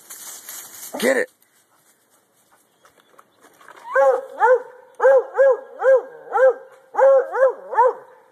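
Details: Treeing Walker Coonhound male treeing: after a loud opening noise and a quiet gap, a run of evenly spaced arched barks, mostly in pairs.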